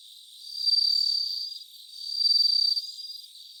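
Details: Bell cricket recorded live about 3 a.m. on 3 September 2023, giving two swelling high-pitched ringing trills each over a second long, separated by a short pause, over quiet steady background hiss.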